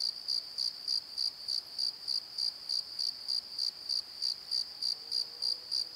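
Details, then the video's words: Crickets calling at night from a valley bottom near a tree: bright, high chirps pulsing about three times a second in a steady beat, with a faint low rising tone near the end. "Crickets and Croaks! Pozo Night Tree"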